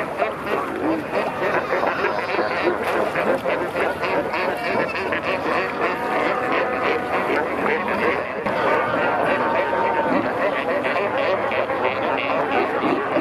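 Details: Fur seals at Pelican Point, Walvis Bay, Namibia, met from kayaks in the water as many pups had just been born; a dense chorus of overlapping bleating, harmonic calls runs throughout with steady water and paddling noise.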